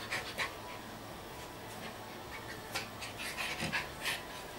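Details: Two Schipperke brothers at play indoors; quick, breathy panting in uneven bursts, about three to four a second, with soft scuffling and rustling between breaths.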